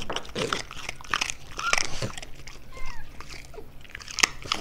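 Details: French Bulldog eating indoors in a small room for an ASMR-style recording: sharp crunching bites and wet chewing clicks in quick irregular bursts, with faint human voice traces in the background.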